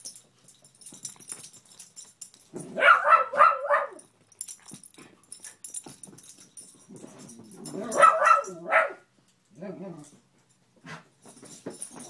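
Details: Indoor pet dog barking at a Spider-Man lamp that fell to the center of a room, with a rat terrier nearby; two clusters of rapid barks separated by quiet rustling, with a soft whimper afterward.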